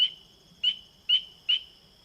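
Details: Spring peeper (Pseudacris crucifer) territorial call, the "angry peeper" sound: short, shrill bursts about every half second over a steady high whistling tone, defending territory; example from the Chicago Wilderness region (northeastern Illinois, southeast Wisconsin, northwest Indiana).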